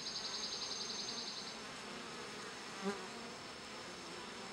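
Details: Bees grooming each other: a faint, steady low hum with layered overtones runs throughout, a rapid high pulsed chatter fills the first second and a half, a soft knock sounds near three seconds, and a thin constant high whine persists.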